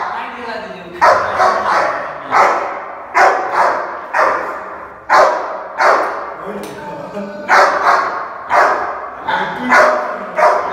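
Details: Angry Rottweiler in India showing food aggression over junior dog food; loud, harsh barks repeat roughly every second in short bursts, with no growl clearly separable.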